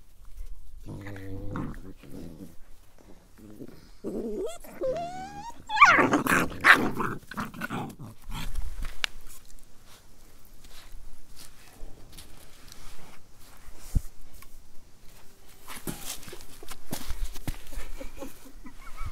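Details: Village puppies at play, low growls and a rising whine near the start, then scuffling and rustling noises as they tussle.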